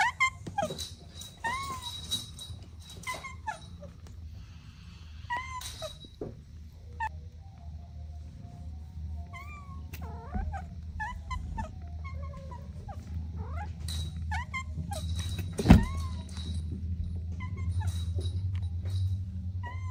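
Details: Kittens at play with their mother and two siblings let out sparse, short, soft mews scattered through the stretch, with a constant low hum beneath and a sharp knock partway through.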